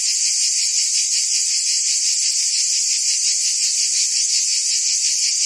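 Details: Cicadas in forest trees keep up a constant sharp, high buzzing drone, softly pulsing in quick rhythm, steady from start to end without other sounds.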